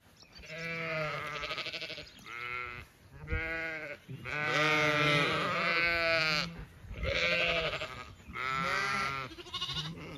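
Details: Zwartbles sheep on a regenerative farm in County Kilkenny, Ireland, bleating during an evening walk around an orchard in bloom; several overlapping wavering bleats, some long and quavering, follow one another almost continuously, with a few brief pauses.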